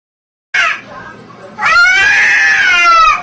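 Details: Domestic cat from a funny cat compilation giving a short harmonic cry, then a long, steady, drawn-out yowl lasting about one and a half seconds, rich in overtones and held at an even pitch, with no other clear sounds.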